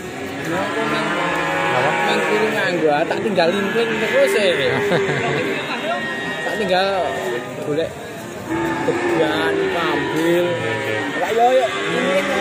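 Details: Ongole cattle in Indonesia lowing: several drawn-out, harmonic moos rise and fall across the recording, overlapping one another, with human chatter and background music running underneath throughout.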